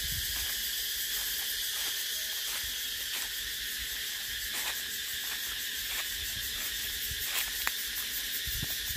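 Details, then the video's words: Steady, shrill cicada buzzing fills the whole recording as an unbroken high wall of sound, broken only by faint intermittent clicks and a few low thumps. "Tiếng Ve Sầu kêu hay nhất"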